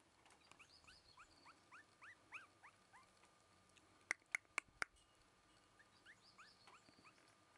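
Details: Black female Shiba Inu puppy, born 22 March 2011 and filmed 14 April 2011, giving quick high squeaky yelps that sweep upward in rapid runs, with a few sharp clicks midway and a quiet background.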